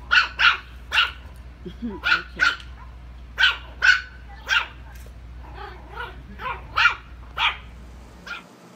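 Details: Puppies yapping in a run of about thirteen short, high, sharp barks over eight seconds, unevenly spaced with brief pauses, over a low steady hum.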